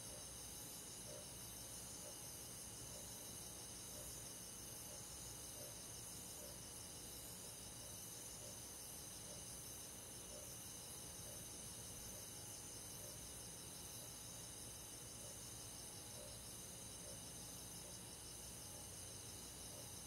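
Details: Night forest crickets in midsummer countryside, an unbroken shimmering high trill from many insects, steady throughout with faint regular chirp pulses and a soft low rumble.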